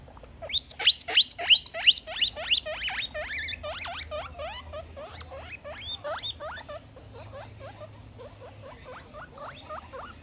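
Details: Domestic guinea pig expressing dissatisfaction at not being able to roam free: loud, high whistled squeals, each rising then falling, repeated rapidly about three per second, the first few strongest, then fading into softer chirping squeaks with a low hum underneath.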